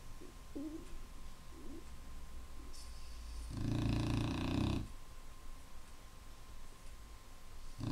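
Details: Clumber Spaniel snoring: one long, rasping, harmonic-rich snore lasting over a second, with faint low grunts before it and a steady low electrical hum underneath.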